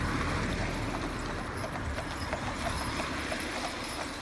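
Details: A pair of Clydesdale horses, Monty and Cyril, driven in harness by their owner visiting from Scotland; faint, fairly regular hoof clip-clops about three per second under a steady broadband rumble of the carriage and surroundings.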